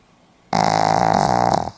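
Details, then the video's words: Sleeping Pomeranian, 4 November 2015, letting out a sudden loud snore that starts abruptly and rattles with a fast fluttering pulse for about a second before cutting off, in a hushed indoor setting. "ポメラニアン 犬のいびき"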